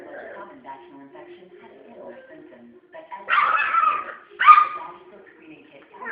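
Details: A Schnauzer, a pet dog, barks at a toy it once disliked: two loud, harsh barks about a second apart follow quiet human speech.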